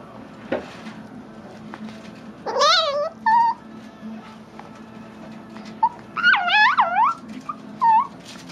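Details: Chihuahua chewing on a bone while being teased indoors, giving squeaky, dolphin-like growls: short bursts of high, wavering whistles that rise and fall, in two clusters with quiet gaps between.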